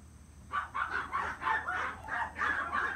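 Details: Male long-coat Chihuahua puppy, born 13 April 2018 and offered through a breeder, gives a run of short, high, tonal yips, about eight bursts in quick succession with brief gaps, over a faint steady hum.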